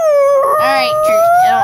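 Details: Pet dog that loves the flute and piccolo howls along, one long steady tonal howl rising gently in pitch, with wavering flute-like notes layered over it.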